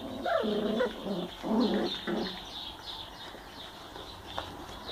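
Young Schnauzer puppies whine and yelp in a few quick, high-pitched bursts, each cry bending up and down in tone. After a couple of seconds the cries fade to faint squeaks against a quiet background.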